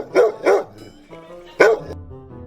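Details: Dog barking in excitement, as when thrilled by new toys, food, treats, smells or sights: two quick loud barks half a second apart, then a third a second later, over soft background music.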